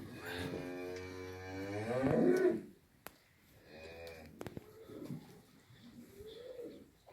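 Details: One of six heifers, aged six to nine months, kept together in Afyonkarahisar, Turkey, gives a long, loud, rich moo lasting over two seconds. Softer, shorter lowing follows, with a few sharp knocks in between.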